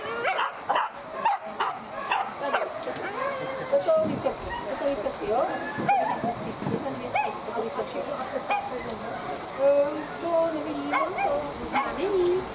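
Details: Female Whippets in heat 2 of the classic race, boxes one to four, at Grand Prix Lednice: excited sharp barks and high yips repeat in bursts, with whining wavering tones between them, over a steady background of human voices.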